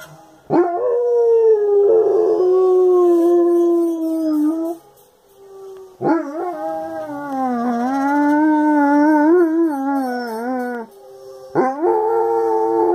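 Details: German Shepherd singing along to the opening of "Mr. Noah": three long wavering howls with trembling, slightly rising and falling pitch, separated by brief pauses, over quiet music.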